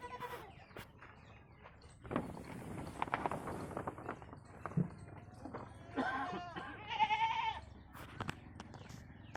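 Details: Barbari goats on a goat farm in India: rustling and handling noise, then a couple of nasal, wavering bleats near the end, one higher and drawn out.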